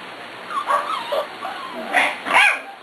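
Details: Six-week-old puppies such as Cat and Kobe, from litters including Ellie and Little Man's, play with Beauty; a run of wavering whimpers climbs into two louder, higher yips near the end.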